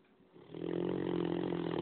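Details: A 9-month-old Great Dane puppy snoring indoors: a harsh, rattling drone swells in after a quiet start and holds steady with a low buzzing hum, loud enough to keep everyone awake.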